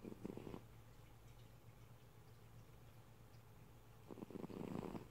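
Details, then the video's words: A sleeping cat snoring indoors: soft, rough low breathing bursts at the start and end, with a steady low hum beneath throughout. "Cat, snoring"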